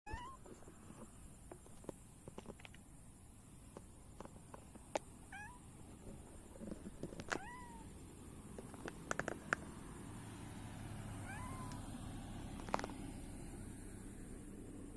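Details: Domestic cat, a silver tabby, meowing while rubbing against a visitor who came to see it after four days away; several short rising-falling meows scattered through the clip amid soft background noise and a few clicks.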